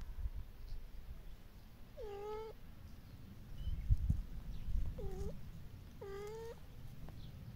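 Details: Kittens playing with their mother and her friends in a garden; three clear meows at about two, five and six seconds, harmonic and slightly bending, over a low rumbling background.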